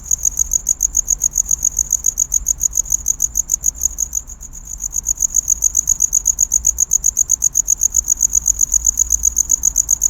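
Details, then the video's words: A cricket calls to attract a mate with piercing high chirps in a fast, even series, dipping in loudness for a moment before resuming strongly; little else is heard besides a soft low background hum. "Real Cricket Chirping Sound｜Cricket Noise"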